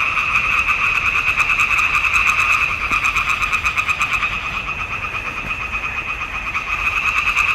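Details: Pond frogs in a swamp in June 2021 singing as a massed chorus, fast regular pulses merging into a buzzing two-tone drone, slightly softer in the second half.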